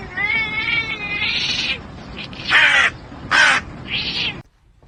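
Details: House cat's loud, wavering cries, a long quavering meow then several harsh, abrupt squalls, over steady background hiss, ending in near silence.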